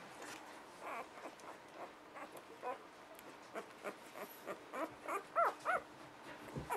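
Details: Newborn pups, six days old, give faint rapid squeaks that build toward the end into a few clearer, high, wavering whimpers, against a soft hiss and steady hum.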